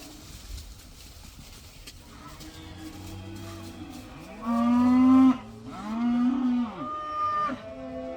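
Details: Cattle let out for the first time, quiet background at first, then two loud drawn-out moos with rich harmonics bending down at their ends, followed by a softer higher call.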